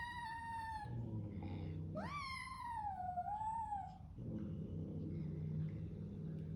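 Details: A new Bengal kitten calls out bravely indoors against a large resident cat that hisses at it. A long falling meow is followed by a louder cry that swoops up and then slides down, with a low rumbling background in the pauses.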